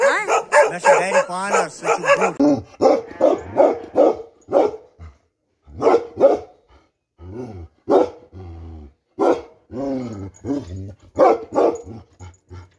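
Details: Bakarwal dog barking in a fast, uneven series of sharp, harmonic barks, loud at first and then broken into shorter bursts with brief pauses, with faint human voices in the background.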